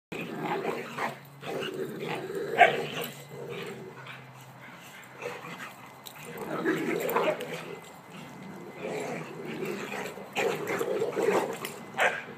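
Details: Three dogs, Emma, Bugsy and Kuna, play by a new fence; Emma is five months old. Low rumbling growls and scuffling come in bursts throughout, with a short sharp yelp near the third second.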